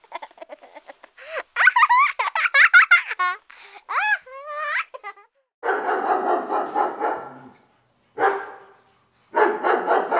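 A Dachshund gives high, wavering yelps, then a run of harsh, rough barks.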